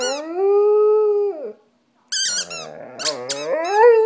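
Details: A pet dog named Stella sings with her squeaky toy in a small room. A long, steady, mid-pitched howl holds for over a second and then fades. After a pause, sharp high squeaks from the toy mix with a wobbling howl that climbs at the end.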